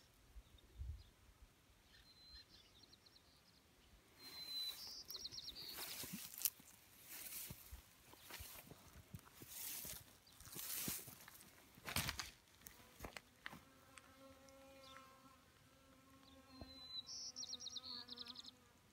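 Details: Honeybees drinking water at a small pond in May 2018, perched on rocks and dirt: a steady, low droning buzz rises near the end, after broadband rustling bursts, with brief high bird chirps at the start and close.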